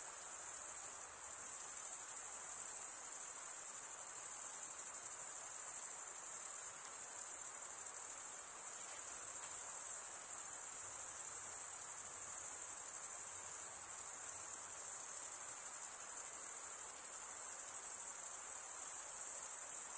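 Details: Male crickets chirp by stridulation in an uninterrupted, shrill high-pitched trill that stays level for the whole stretch, with a quiet hiss underneath and nothing else heard.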